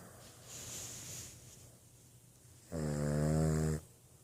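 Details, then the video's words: Boston Terrier snoring indoors: one loud, harmonic, buzzy snore lasting about a second, preceded by softer breathing, in a quiet small room. "Boston terrier que ronfle"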